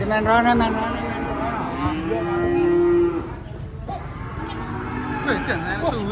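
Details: Cattle fighting their unloading from a truck in Indonesia give a loud opening moo, then a long drawn-out flat bellow lasting about a second, a pause, and a fresh rising call at the end amid human chatter.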